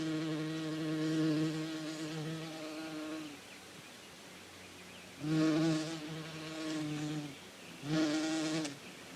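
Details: Bee buzzing in a farm-animal sound lesson: steady low harmonic drone in bursts, fading out after about three seconds and then swelling back twice, at about five and eight seconds.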